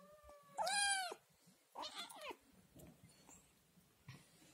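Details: Scottish Fold kitten at home, loudly crying to be fed. One strained, drawn-out meow is followed by a rougher, wavering wail, then low household rustling.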